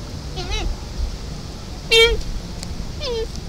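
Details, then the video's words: A doe calls to her fawn with three brief mewing bleats that drop in pitch. The middle call is loudest, and a faint low rumble runs underneath. "Doe calling fawn"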